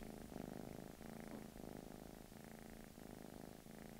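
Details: Blue British Shorthair cat purring in England, a steady low rumbling purr pulsing in regular inhale-exhale cycles of about half a second to a second, close and continuous.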